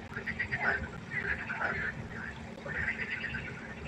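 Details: Pond frogs at night giving short, harsh quacking croaks in two or three clustered bursts, several voices overlapping above a soft background hum.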